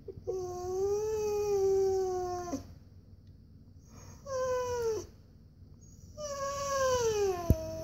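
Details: Siberian Husky kept as a pet, wanting a walk, complaining with soft whines: one long wavering whine, a brief falling whine, then another long descending one, with quiet room background between.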